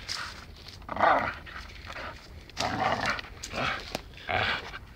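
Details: Dachshund playing and biting, training to be a lumberjack: bursts of rough, breathy growling and snuffling noises in short clusters about a second long, separated by quieter gaps, with a few sharp clicks.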